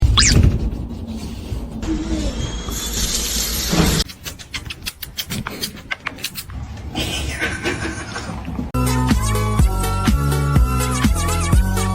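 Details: Choppy edited segments of music, a shattering crash and brief speech follow one another. No animal voice stands out anywhere.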